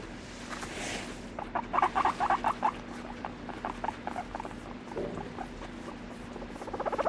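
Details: Guinea pig calling indoors, a run of short rapid chirping notes around the middle, then scattered softer squeaks and a final quick series, with a steady low hum in the background.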